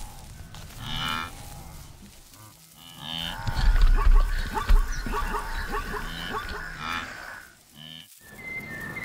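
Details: Wildebeest of a vast migrating herd on the African plains, heavy animals over 200 kg with curved horns, uttering short nasal moo-like grunts at the start and end. A louder, rumbling herd commotion with scattered chirps fills the middle.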